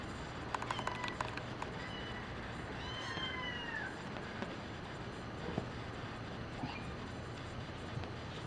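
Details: Nina, a brown patched tabby and white cat, playing with a foxtail cat teaser toy; a few soft, falling, harmonic meows near the middle, set against a steady low room hum and light rustling.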